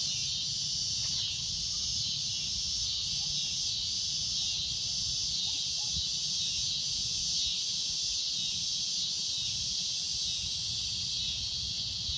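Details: Cicada droning at golden sunset: a loud, shrill, unbroken buzz holding steady and high for the whole stretch, never pausing, over a low rumble of wind.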